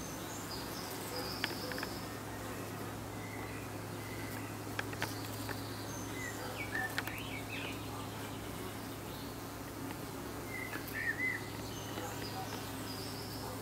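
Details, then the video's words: Honey bees fanning at the hive entrance in the evening: a steady low hum with stacked overtones, overlaid by scattered high bird chirps and brief clicks. "Bees fanning in the evening"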